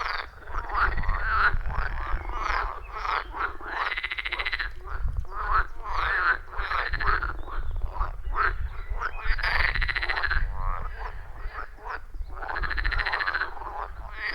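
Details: Loud chorus of wild frogs calling around a forest pond, recorded deep in the forest with an iPhone 14 Pro and Shure MV88+; overlapping rhythmic croaks and trills pulse every second or so, over a low rumbling background.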